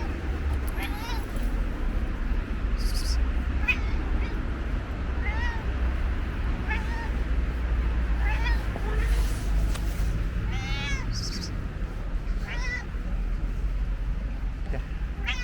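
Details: Stray orange and white cat at a bus station, giving short, bent meows again and again, roughly every one to two seconds, over a steady low rumble of traffic and background noise.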